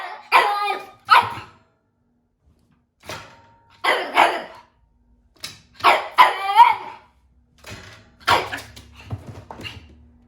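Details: Japanese Chin puppy, a breed said to bark rarely, gives short, high, yappy barks in pairs and small bursts, some ending in a thin whine, separated by pauses of one to two seconds.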